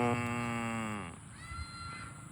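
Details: Farm cow being herded to the barn gives one deep, rich moo lasting about a second, its pitch sagging slightly toward the end, followed by a thinner, higher tonal sound and quiet outdoor background.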